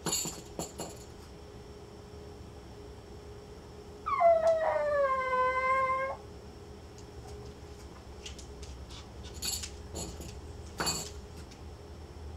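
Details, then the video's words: Small female Pomeranian, Lilly, left home alone indoors: one drawn-out harmonic howl of about two seconds, starting higher and sliding down to a steady tone, amid quiet room noise with a few clicks and taps. "Dog home alone - Tiny Pomeranian Howls!!!"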